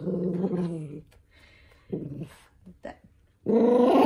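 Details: {'caption': 'Eldest toy poodle Minato, furious over being made to wear socks, growls briefly, goes quiet amid faint scuffling, then starts a louder, rougher growl at the end.'}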